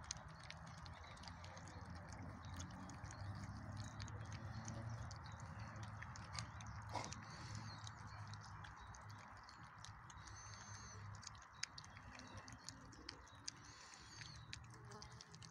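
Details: A Chow Chow puppy eats its dinner noisily, with steady crunching, smacking and clicking bites.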